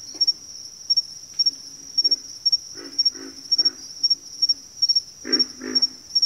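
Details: Frogs in a backwater chorus give low, grunting croaks in short doubled bursts, loudest near the end. A steady, high, pulsing insect trill runs underneath the whole time.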